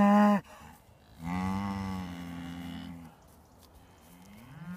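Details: Traditional Beef Shorthorn cattle approaching in the morning as if to say good morning; a short loud moo cut off, then a longer, lower, steady moo lasting nearly two seconds, followed by a faint rising call.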